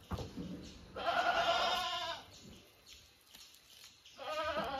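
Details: Domestic goats belonging to their owners give a long trembling bleat, then a quiet pause, then another bleat starting near the end, over faint background rustle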